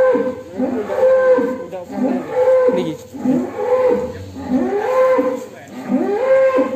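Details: Large agitated cattle on a farm leaving the pen, lowing repeatedly: loud, harsh moos about once every second and a half, each rising then falling, steady and insistent throughout.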